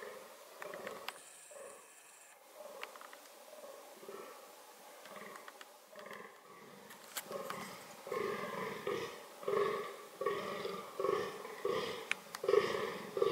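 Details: Fallow deer during reproductive behaviour: deep hoarse groans, quiet and scattered at first, then steady belching grunts roughly every second in the second half, with faint clicks and a brief high tone early on.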